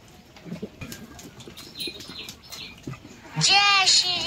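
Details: Goats on a stall-fed and semi-stall-fed farm at feeding time. A man talks, then a sudden loud, wavering, nasal bleat fills the last second.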